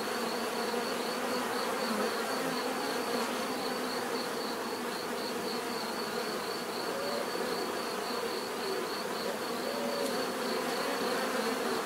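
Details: Bees humming together in a constant buzzy drone, individual wingbeat tones occasionally rising and falling within the dense swarm sound, a faint rhythmic high pulse above.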